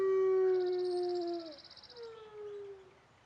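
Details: A talkative wolf gives a long, pure howl that holds steady, slides downward after a second and a half, breaks briefly, then resumes as a fainter, lower falling tone that fades away. Quiet surroundings.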